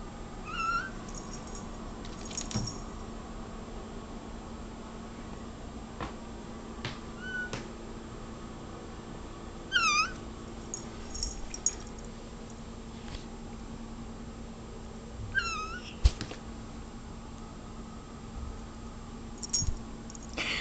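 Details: Cola the kitty meows nonstop indoors at a bug she sees on the wall; short high chirping meows and trills come in scattered bursts every few seconds, with soft clicks and a constant low electrical hum.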